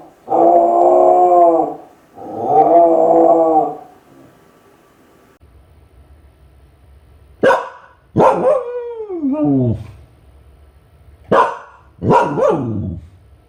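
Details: Ichi, a Kai Ken crying while left alone at home: two rough, wavering wails, a pause, then sharp yelps that break into steeply falling whines, each sweeping down in pitch.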